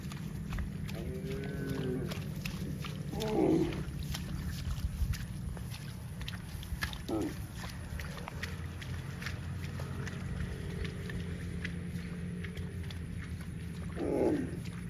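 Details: Cows running in the fields; a soft moo early on, then short loud lowing calls near the start, middle and end, over constant low rumble and scattered knocks and clicks.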